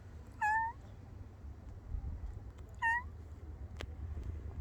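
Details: A brown and white female cat meows twice, about two and a half seconds apart; each meow is short and clear, with a slightly rising, harmonic tone, over a low background rumble and one sharp click near the end.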